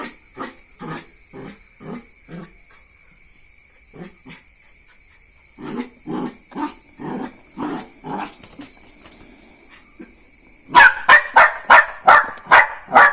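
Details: Jack Russell Terrier puppy yapping in quick, short barks, first a rapid series, a brief quiet spell, then another burst, ending in louder, sharper barks fired off close together.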